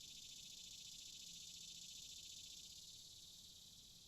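Cicadas drone in a steady, high, buzzing chorus with a fine rapid pulse.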